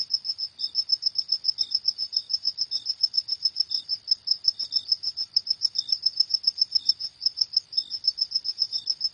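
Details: Crickets calling at night: a continuous, regular run of shrill chirps at a fairly fast, even pace, about three or four a second, against silence.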